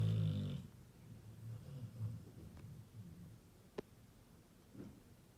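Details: A Labrador Retriever snoring very loudly: one heavy, rasping, buzzy snore opens the recording, followed by softer, low rumbling breaths that fade, with a couple of faint clicks.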